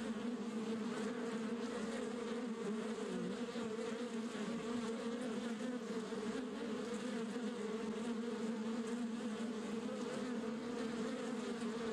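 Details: Wild red dwarf honey bees kept in dry wood, a continuous steady low hum of the colony with no breaks, heard close by.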